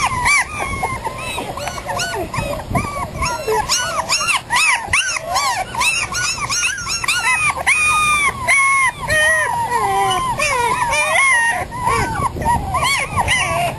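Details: Five mixed-breed puppies, 3.5 weeks old, born to a terrier mother and an Australian Shepherd father, on their first day outside; a chorus of high, wavering whimpers and yelps overlapping almost continuously throughout.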